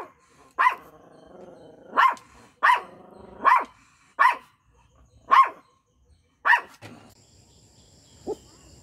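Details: Micro miniature pinscher, a small dog, barking: seven sharp, ringing barks at uneven intervals of about half a second to over a second, then a faint short yelp and a steady high electronic tone near the end.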